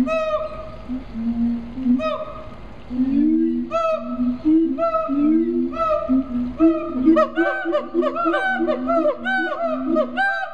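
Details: At a zoo in Columbia, South Carolina, siamang gibbons start with spaced hoots and deep throat-sac booms, then build into a fast, overlapping series of loud upswept barks and booms toward the end.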